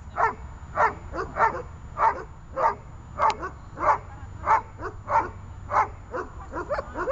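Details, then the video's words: Training session for Runa, a dog learning to hold and bark: steady, evenly spaced barks about every half second to second, strong and rough, over a faint low hum. "Руна . удержание и облаивание (обучение)"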